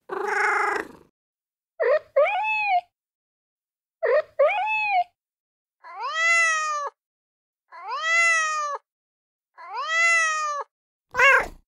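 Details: Cat trying to communicate with its human, from a funny pet compilation: a harsh opening call, then chirpy double meows and three clear arching meows evenly spaced, closing with a sharp brief cry.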